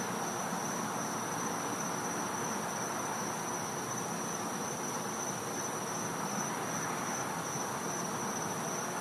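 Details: Cicadas in a Florida back yard at night in winter: a steady, thin, high-pitched whine holds unbroken throughout, over a broad bed of hiss and faint low rumble.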